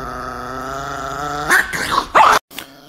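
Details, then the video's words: Angry, aggressive pet Chihuahua named Nikki growls with a steady, low, buzzy rumble for about a second and a half, then a woman's voice breaks in with short spoken words. "The most Angry Chihuahua in the world"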